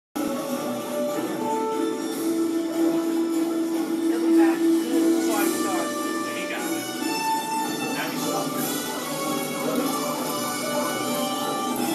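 Music and speech play throughout, with no animal voice standing out.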